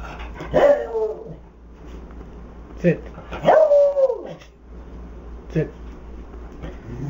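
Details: Max the Beagle lets out loud, ringing barks. One is long and falls in pitch; shorter yelps come between them. Human voices and household noise sit in the background.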